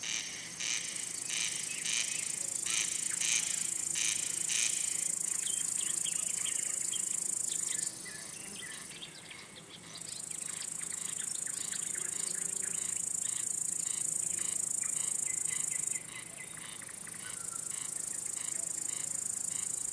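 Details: Crickets, males rubbing their wing covers to lure and court females or scare off other males; rapid pulsed high chirping over a steady shrill trill, which pauses twice, with faint bird-like twitters mixed in.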